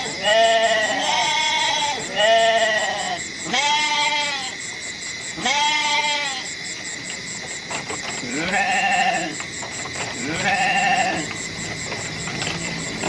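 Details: Goat. Several goats give drawn-out, quavering bleats, each rising then falling, with deeper and higher voices alternating. A steady faint hiss or hum runs underneath the calls.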